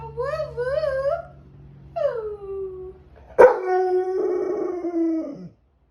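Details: English Springer Spaniel howling during Tropical Storm Debby: a wavering, warbling howl, then a smooth falling howl, and a loud sustained howl that drops in pitch at its end, over a low steady hum.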